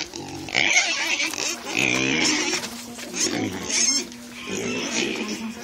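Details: Kunekune pigs, two of them, squealing and grunting excitedly at dinner time on the way to their food tray; repeated harsh squeals and grunts over a steady background hum, with faint music.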